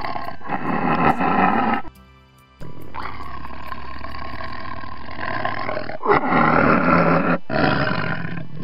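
Tiger roars in deep, rasping bursts with a brief pause between, heavy low rumble throughout; a faint musical tone may sit underneath.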